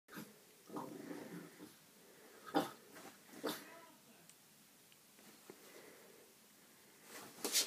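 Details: A 5-month-old female French Bulldog puppy, scared of her own reflection in a mirror, gives low snuffling grunts and a few sharp, breathy yaps indoors.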